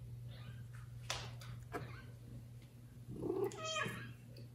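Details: Loud meowing from a domestic kitten calling for its mother, who neglects the litter, before another cat takes it. A strained, wavering meow with rich harmonics swells late, after rustling and knocking, over steady indoor hum.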